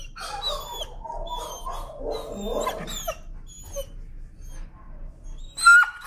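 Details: Timid dog, afraid of the leash, protests leash pressure on a walk with harmonic, wavering screams and whines over about three seconds, then quieter; small birds chirp high in the background.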